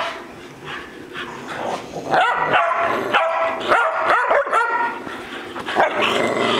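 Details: Playful romp among three household dogs named Bocephus, Kelsie and Vinny: after a quieter start, a burst of sharp barks and yelps erupts, rapid and irregular, with harmonic-rich yips overlapping toward the end.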